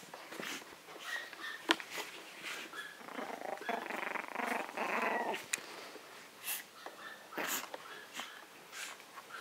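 A small Maltese dog gives quick, high yips and short barks, with rougher growly stretches mixed in.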